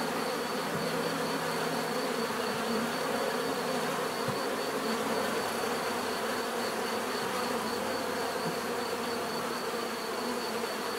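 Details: Continuous buzzing of many bees, a thick even drone without pauses, broad and hissy with a thin high tone running through it.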